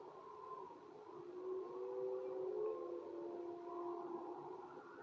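Several wolves howl together in long, smooth, overlapping tones that slowly rise and fall.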